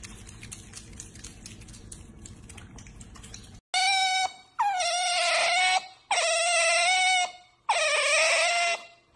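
An otter gives four loud, shrill squeals, each held for about a second and a half and sagging slightly in pitch, after a few seconds of hissy background noise.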